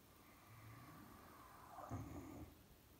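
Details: A male Caucasian Shepherd Dog snores, a low rumbling breath that swells briefly and fades.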